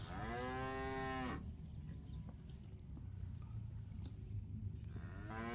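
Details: A cow feeding on fresh grass in a park gives a sustained low moo lasting over a second, then quiet rumbling, with the start of another moo at the end.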